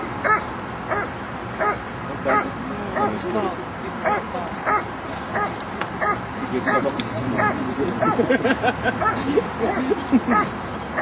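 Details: Protection-phase barking by a Dobermann at an IPO-1 trial, Kinodrom-2008: repeated short barks, about 88 a minute and irregular, growing denser toward the end, with people talking and crowd noise throughout.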